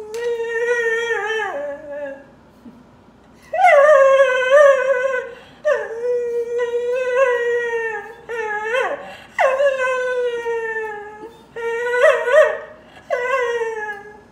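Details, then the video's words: Dog crying with a series of drawn-out whining howls, each starting high and sliding down into a wavering tone, several cries separated by short pauses in a quiet indoor space. "Crying Dog"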